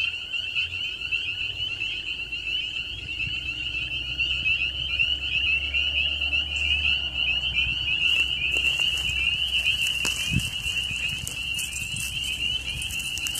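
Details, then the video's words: Frogs in a constant high trilling chorus of countless overlapping voices, eerie enough to fascinate the dog Bijou; a low hum runs underneath and a few brief rustles and knocks appear late on. "my dog Bijou is fascinated by the eerie sounds of frogs"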